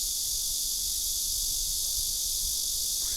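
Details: A blackish cicada sings a loud, unbroken, high hissing drone that holds steady without pause. This species is common in the south and in big cities, where its choruses draw noise complaints.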